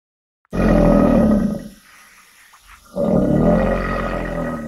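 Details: Alligator roaring: a deep, rumbling, broadband bellow lasting just over a second, a short quiet gap, then a second long growling bellow that fades slowly.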